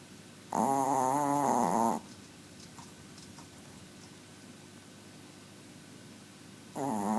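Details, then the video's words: Tiny dog snoring very loud while asleep at home, a buzzy wavering tone with rich overtones lasting about one and a half seconds, then a quiet pause of nearly five seconds before the next snore begins. "My little dog snores very loud"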